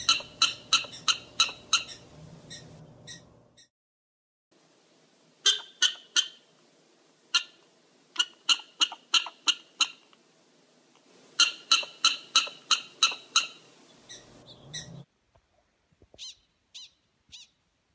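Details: Rapid prairie dog barking in repeated volleys, several bright chirps per second, broken by silent gaps; a low hum sits under the first and last stretches, and faint high squeaks close the recording.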